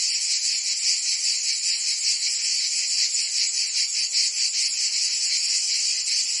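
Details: Summer in Provence, France, with cicadas singing: an intense, continuous, high, sizzling buzz, rising and falling in quick pulses around two or three per second, with no other sounds.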